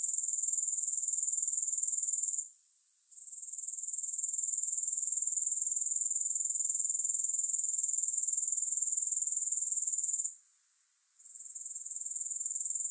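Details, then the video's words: Grasshoppers give a steady, high-pitched shimmering trill with a fast pulse of about four beats a second. It cuts out briefly twice and returns. No music plays. "Grass Hopper Sounds"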